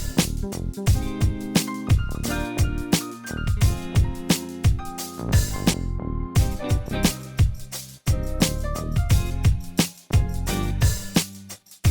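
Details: Upbeat instrumental music with guitar and a steady drum beat plays throughout, with no animal sounds.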